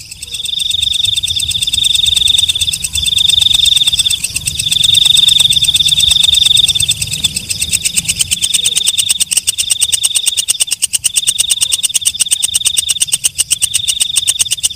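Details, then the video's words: A night katydid, called walang kecek, alternates drawn-out high buzzing phrases with short pauses. Through the second half the phrases give way to a brisk, unbroken series of dry ticks. "Suara Walang Kecek/ Belalang Malam"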